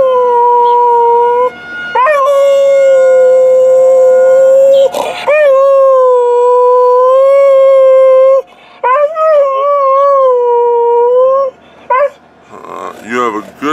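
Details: Purebred Alaskan Malamute howling around 2013: a series of sustained harmonic howls, each starting with a rising yip-like onset and holding a steady pitch, several phrases in succession, ending with wavering broken calls.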